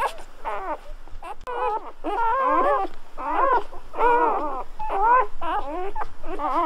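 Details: Crying from newly born Golden Retriever puppies: a quick run of short, wobbling, high-pitched squeaks, roughly one per second, each with a rising-and-falling bend, likened to guinea pigs or human babies.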